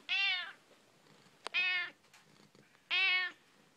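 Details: Loud, bright meows from Figaro, a female pet cat, talking with her owner indoors; three strong half-second calls spaced about one and a half seconds apart, with a faint click between them.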